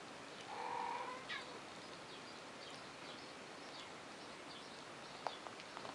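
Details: Three-week-old kittens, five in the litter (Morris, Mario, Mozart, Meryl, Maya), with their mother Duchesse; a single short, high, tonal meow near the start, then quiet indoor hiss with a few faint clicks.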